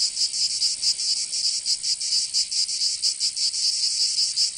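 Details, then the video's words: Provençal summer cicadas in southern France, producing a shrill continuous buzz broken by slower throbbing pulses, loud and high-pitched with nothing else audible. "Canto Cigarra 🦗 [ Escuchar les cigarras en verano 10 H]"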